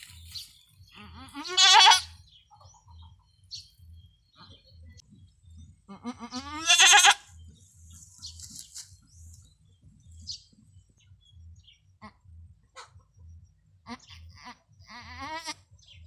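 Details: Female goat with long horns during her first, difficult birth on a small backyard farm: two loud, wavering, strained bleats about five seconds apart, with a low rhythmic hum pulsing underneath and faint quieter calls later.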